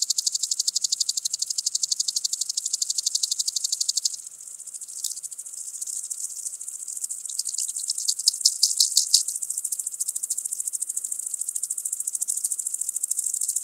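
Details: Common green grasshopper (Omocestus viridulus) at Tschenn, Italy, 19 August 2019. A rapid, high pulsed rattle that drops to a softer, irregular ticking after about four seconds, has a few louder bursts, then resumes as a steady ticking stream.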